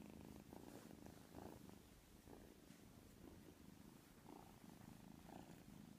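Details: Sleeping white kitten snoring, a quiet low purring rumble with gentle in-and-out breathing cycles roughly every second, steady throughout in a quiet room.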